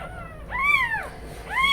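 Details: Newborn kitten crying for its absent mother cat, who has briefly gone outside; two loud, clear arched mews, rising then sliding down, the second starting at the end, over a faint low hum.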